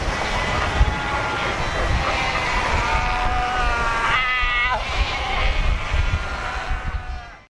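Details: Cape fur seals at Cape Cross on the Skeleton Coast, a huge rocky-shore colony of over 100,000 animals. Overlapping bleating, harmonic calls rise from the crowd, with one loud wavering call near the middle, over a constant roar of ocean surf.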